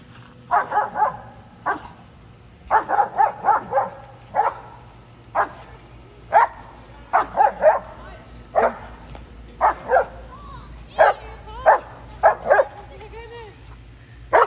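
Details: German Shepherd dog in New Hampshire, on a walk and eager to bounce on a neighbor's trampoline; loud, sharp barks in quick bursts of two to four, about a dozen in all, with a few softer whiny yips between.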